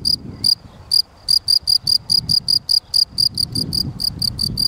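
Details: Loud, high, pulsing chirps from a Gryllus campestris field cricket, coming quickly at about two to three a second after a hesitant start, with faint low background noise.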